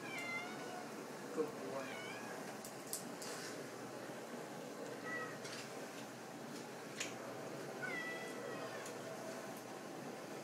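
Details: Overweight pet cat begging for a treat indoors as a boxer pup is rewarded: several short, faint, high meows spread through the clip, amid room noise, small knocks and a person speaking.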